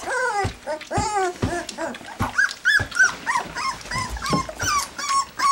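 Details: Three-week-old black English Labrador Retriever puppies in a box, tasting goat's milk for the first time, give a rapid run of squeaky whines and yips, some rising then falling, about three per second, overlapping one another.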